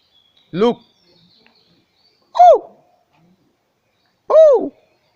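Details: Captive hoolock gibbon at Jess Garden Zoo in Jashore, Bangladesh: three separate arched, hooting notes about two seconds apart, each rising then falling, in otherwise quiet surroundings.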